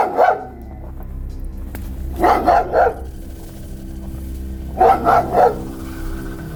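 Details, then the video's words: Dog barking near an abandoned house in a deserted village at night, later likened to a growl; clear bursts of two to three sharp barks spaced a few seconds apart over a steady low hum. "صدای سگ مثل غرغر است."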